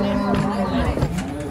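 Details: Cattle at Jelok market, Indonesia, unloaded from a truck: a low moo wavers through the opening second, mixed with people's voices, handling noises and faint music.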